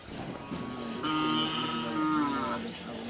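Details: Madura cattle at karapan sapi bull race training on the Asemanis field, Pamekasan, Madura, East Java, Indonesia. A single drawn-out, tonal lowing moo, steady at first and then wavering, lasts from about one to two and a half seconds over faint background noise.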